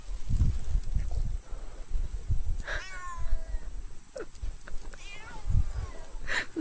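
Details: Cat crawling through deep snow outdoors, giving two short rising-falling meows about two seconds apart, with soft crunching of snow and low rumbling background noise throughout.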